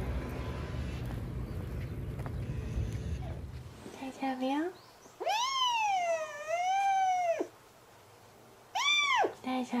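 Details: Male kitten Mugi, trapped inside the wall of an empty house next door due for demolition, cries before being freed: a short meow, a long wavering two-second meow, then a brief sharp meow, after four seconds of low rumbling noise.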